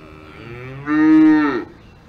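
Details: Cow on a farm in the Alps giving one low, drawn-out moo lasting under a second, rich in harmonics, swelling suddenly, holding steady and slightly rising before dropping away, preceded by a quieter lead-in.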